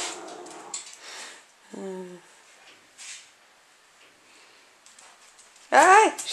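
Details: Lakeland Terrier pups, five and a half weeks old, filmed in July 2014 indoors: a short harmonic whine near two seconds, then a loud high rising-falling yelp at the end, with a woman talking softly to the litter.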